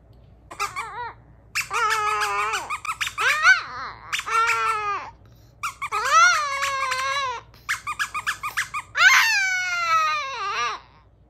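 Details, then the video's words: Male pet Chihuahua howling indoors beside his toy mice collection, a series of drawn-out wavering wails that rise and fall, with short broken notes between, ending on a higher falling cry. "Chihuahua Cedric Howls An Ode To His Toy Mice Collection"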